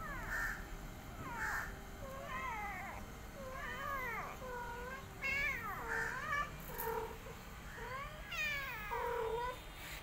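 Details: Mother cat, a rescue, caring for an adopted kitten alongside her own litter; many thin, overlapping mews sound almost continuously, pitched high and bending up and down, with a faint steady hum underneath.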